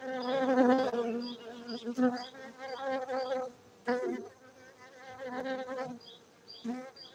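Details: Honey bees from a Bener Meriah bee farm in Gayo, Aceh, Indonesia give a steady, throbbing drone broken by short gaps, with individual bees buzzing loudly past in quick succession.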